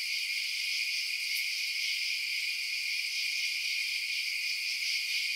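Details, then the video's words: Crickets chirping at night: a dense, steady, high-pitched shimmering chorus that never pauses, with one faint brief tick early on and no other sounds. "Night Sounds Crickets Chirping"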